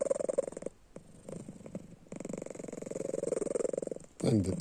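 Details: Sleeping house cat Panda, eyes open, producing a quick buzzing rattle in two bursts with a softer pause between; a person's voice cuts in at the very end.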